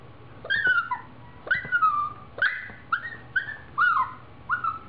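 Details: Siberian Husky puppy at play giving high, whistly whines and yelps that slide downward, in quick bursts about every half second to one second, with soft thuds underneath.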